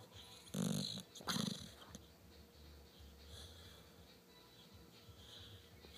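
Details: Milli, a pet dog, makes odd noises while asleep: two short, breathy, rumbling snorts close together in the first two seconds, then quiet room hiss with faint breathing.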